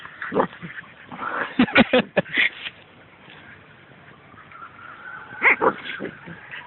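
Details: Dogs, a German shepherd and a Siberian Husky, give a quick cluster of sharp, harsh barks near the middle, a drawn-out whine, then another burst of barks, with voices in the background.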